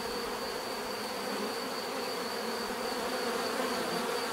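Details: Many bees buzz together in a constant, grainy hum, a high thin tone held steady over the lower drone, with no pauses and little change in volume.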